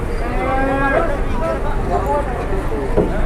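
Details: A cow in Indonesia that had collapsed and could not rise, then suddenly turned aggressive, as onlookers gather; a long, low, drawn-out moo with stacked harmonics, followed by shorter grunting lows and background crowd murmur.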